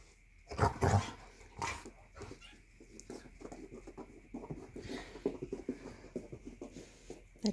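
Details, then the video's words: Morning play-fight among three pet Basset Hounds, one female and two males, after their meal; continuous grumbling growls and snorts with a couple of loud yelping bursts early on and scuffling throughout. "Three ferocious basset hounds"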